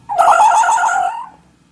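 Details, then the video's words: A fox gives a single cry of about a second: a nasal, quavering, harmonic wail that wobbles in pitch before fading, against an otherwise quiet background. "여우 울음소리 귀여움"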